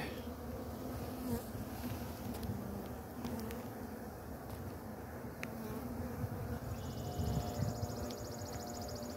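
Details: A swarm of Western honey bees, being caught from a ladder, makes a dense, steady, low drone throughout.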